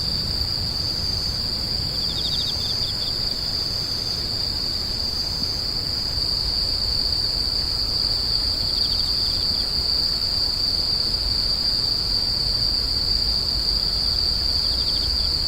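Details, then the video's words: Insects screeching: a steady shrill high tone holds throughout, with a few brief pulsed trills just below it at irregular intervals, over a quiet low-frequency hum. "The sound of insects crying"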